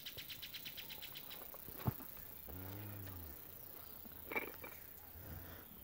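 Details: Month-old calf held during a calf parade in rural El Salvador gives a single low, drawn-out moo about a second long midway through, amid quiet background murmur, a sharp knock and brief faint chirps.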